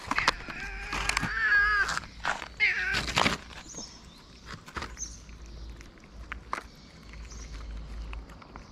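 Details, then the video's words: Stray cats in Morocco meowing when the food server appears: a few loud, wavering meows crowd the opening seconds, then fade into quieter outdoor rustling with occasional faint calls. "When cats see the food server, they start meowing everywhere."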